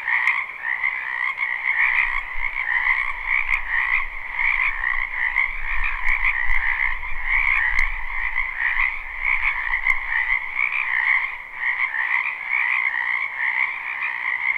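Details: Live spring recording of numerous wetland frogs croaking together: a continuous buzzing trill of overlapping calls, accompanied by a low rumble of distant background noise through the middle and occasional faint clicks.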